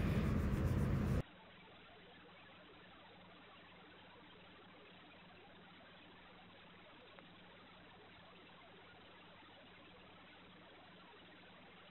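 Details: A brief loud burst of noise, then a steady low hiss with a faint hum and no animal sounds.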